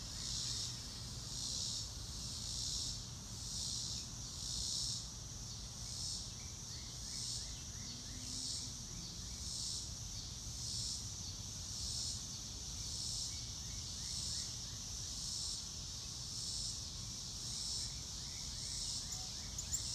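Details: Real-time field sound of crickets, no music: a continuous shrill insect chorus beating in even pulses around once a second over twenty seconds, scattered faint mid-pitched chirps, low rumble and a small knock near the end.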